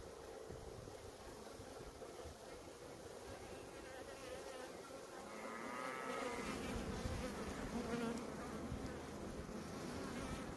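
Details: Continuous low buzzing of honey bees at a hive in Maine-et-Loire, France. It grows slightly louder midway, overlaid by a faint wavering tonal whine.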